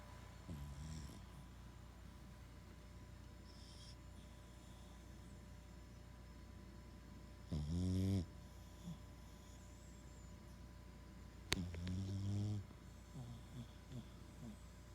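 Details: A sleeping Boston Terrier snores: two rasping, gurgling snores about four seconds apart, with soft breathing and quiet room hum in between.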